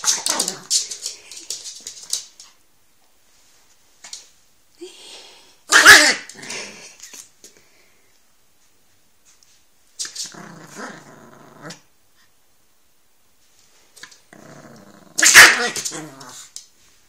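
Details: Laric, a small male Chihuahua, mounting and mating with a doll indoors: breathy snorts open, then two sharp loud yelping bursts about nine seconds apart, each followed by low rumbling growls and long silent gaps.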